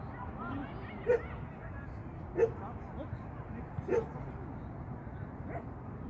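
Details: Shetland sheepdog named Sian during agility training, on a first seesaw flyer and first tunnel run: three short, sharp barks spaced over a few seconds against steady background noise.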